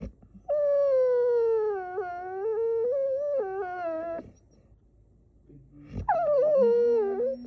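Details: A silly puppy named Pumpkin, with no added sounds, gives long, wavering whines that dip and rise in pitch, then a second rising whine.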